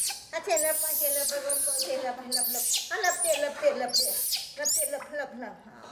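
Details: Angry crying of a rescued orphan baby monkey during a bath, with repeated shrill, sharply arching screams in bursts about once a second, mixed with Indonesian speech and indoor sounds.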